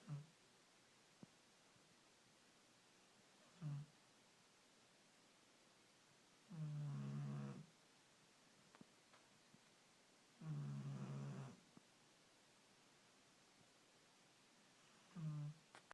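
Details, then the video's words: Old female dog snoring indoors, low droning snores with a rough, buzzing tone, coming roughly every four seconds, some longer and louder than others, in a quiet room. "My Dog Snoring Like a 90 Year Old Man"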